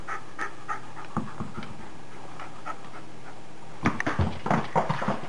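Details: Pet dog Maggie playing her indoor bad-weather game, breathing in short, rhythmic pants, soft at first, then louder and faster in the final seconds, with room echo.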